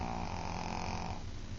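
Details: A small female Shih Tzu snores while asleep with a steady, rumbling, low rasp.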